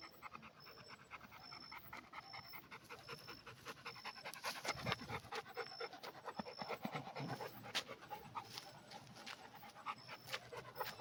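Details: Red Pit Bull panting in quick, rasping breaths, roughly two per second, each a breathy broadband puff; a faint steady high electronic tone recurs in short dashes behind it.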